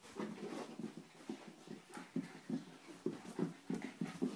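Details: A schnauzer and an Italian greyhound wrestle, giving rhythmic low huffing growls roughly three times a second, each a short raspy pulse, in a small indoor room.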